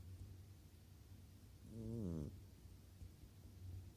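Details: A sleeping cat snoring: one wavering, buzzy, low breath sound swells and fades in the middle, over a quiet low hum.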